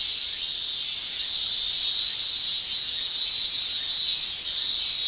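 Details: Summer chorus of male cicadas in Japan, a continuous high shrill band pulsing in loudness about once every second, no other sounds.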